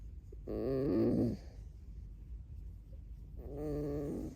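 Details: Pet red fox Alice lets out a loud, wavering harmonic squeal lasting under a second, then after a quiet pause a second steadier squeaky whine begins, in a quiet setting.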